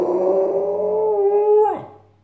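A Cairn Terrier gives a sustained, tonal howling whine that holds steady, then drops sharply at the end.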